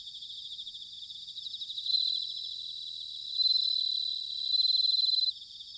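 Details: Autumn bell cricket recorded in Sanuki, Chiba prefecture, Japan: three loud ringing high-pitched trilled phrases, each lasting about a second or more, standing out above a quieter constant insect chorus.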